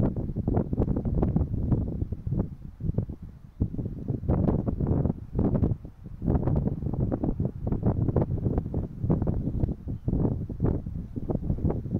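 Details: Heavy wind buffeting the microphone, low rumbling gusts throughout, with no animal calls heard.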